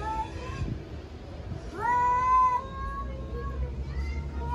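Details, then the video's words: Stray domestic cats in Istanbul facing off over territory, loud challenging meows: short calls, then a long, strained, steady meow lasting almost a second, followed by further brief meows over low street rumble. "Cat fight and challenge for the territory"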